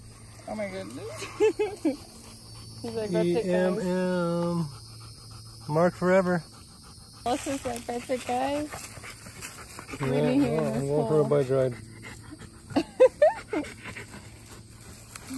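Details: Old English Sheepdog Wallace, a pet dog, telling his owners what is on his mind with a string of wavering, moaning whines and grumbles in irregular bursts of one to two seconds, separated by pauses, with steady low background hum.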